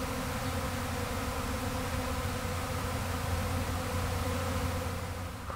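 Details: Swarming honey bees that left a backyard hive on May 13, 2012, before being collected again. They produce a steady, thick buzzing drone with stacked low tones that flickers slightly but never pauses.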